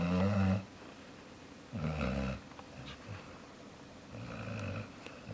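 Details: Jaxson, a sleeping dog, snoring indoors in a small room: deep rumbling breaths with a harsh, buzzy texture, the loudest at the start, then quieter snores repeated a few seconds apart, with a person speaking afterward.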